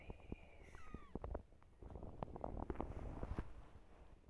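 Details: Domestic cat household with mother cat Silky, her kittens and the father cat; a thin, high mew slides downward and fades within half a second, surrounded by dense tapping and knocking clicks and low rumbling handling noise.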